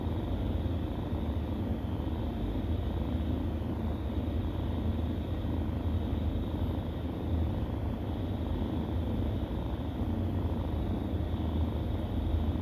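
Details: Nursing kittens purr continuously: a deep, even rumble with a gentle rhythmic throb that holds steady throughout, under a light background hiss.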